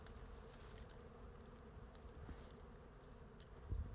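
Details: Bees crowding a big wild forest hive on a tree branch give a rumbling, even drone, mostly deep in pitch, with a low bump toward the end.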